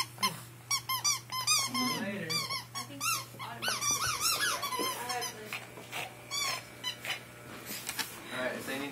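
A Pekingese gives high, squeaky whines in quick irregular bursts while a person talks nearby.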